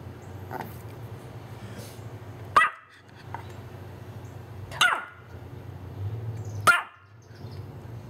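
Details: Female Pomeranian barking at the doorbell indoors, recorded on a Panasonic SDR-S50 camera: three sharp, high, single yaps about two seconds apart, each cut short, over a low electrical hum.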